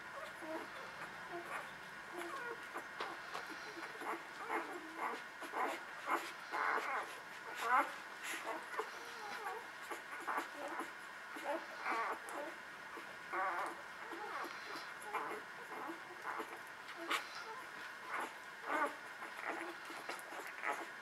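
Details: Newborn puppies nursing, giving a steady stream of thin, high squeaks and whimpers in quick, overlapping bursts, with soft suckling and rustling in between.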